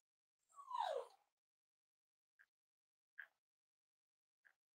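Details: Cavalier King Charles Spaniel puppies snuggling indoors in a home that raises emotional support animals, on a warm Friday morning; one short whimper slides downward, followed by three faint, brief clicks in otherwise quiet air.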